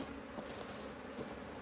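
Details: Honey bees in an Australian-designed HiveIQ hive, opened in fine weather in mid-autumn 2023 in Australia to add a box of empty frames while the colony thrived; a soft, steady, low droning hum with faint handling rustles and no voices.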